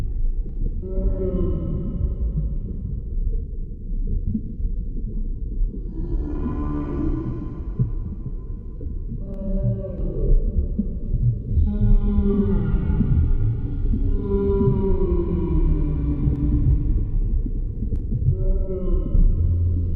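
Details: Humpback whale song recorded underwater: long, rich moaning tones with many overtones. Some units slide downward and others swoop up, arriving in bursts every few seconds over a steady deep rumble.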